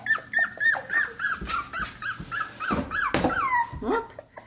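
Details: Cocker Spaniel puppies taken outside for the first time, crying in a quick run of high, arching whines about three per second, some sliding downward, with a few short scuffling noises.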